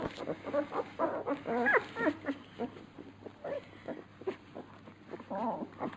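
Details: Labrador Retriever puppies during feeding, softer scattered whimpers and squeaks coming in brief bursts, quieter stretches between them, low hum in the background.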